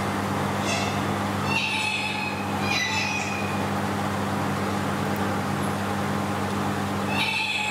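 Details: Ring-tailed lemurs (Lemur catta) at Nasu World Monkey Park, Tochigi, Japan, recorded 7 December 2018; brief high mewing calls with harmonic bands come in short bursts, a few seconds apart, over a steady low mechanical hum.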